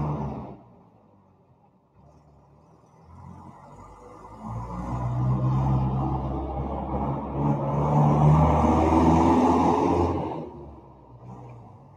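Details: A vehicle's low rumble swells and passes, with no animal calls heard.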